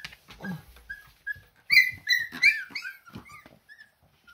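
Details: Siberian Husky puppies learning to walk, whining in a burst of high, wavering whimpers and squeals with rich overtones, loudest midway, then trailing off into scattered short whines.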